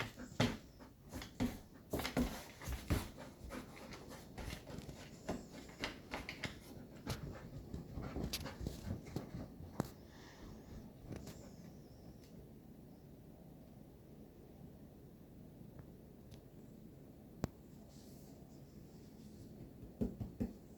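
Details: Golden retriever at play with a cat, breathing in quick, rough, breathy bursts through the first half, then fading to near quiet with a few scattered soft puffs and clicks later on.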